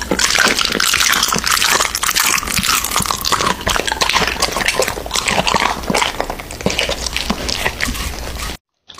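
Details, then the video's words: American Bully dog eating raw meat, recorded close up in ASMR mukbang style: a dense, continuous stream of wet, squelching, dripping mouth noises with a steady low hum underneath, cutting to silence at the very end. "MUKBANG ASMR Dog eating Raw Meats!Omnibus 【American Bully】"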